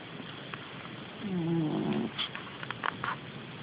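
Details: Sleeping domestic cat, recorded on an Android phone, gives a single low rasping snore lasting under a second, followed by a few soft clicks and rustles.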